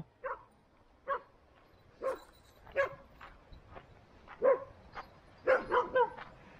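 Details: Standard poodles at home in Ketchum, Sun Valley, Idaho, one barking repeatedly: short, sharp barks roughly every second, some in quick doubles near the end, with faint room noise between.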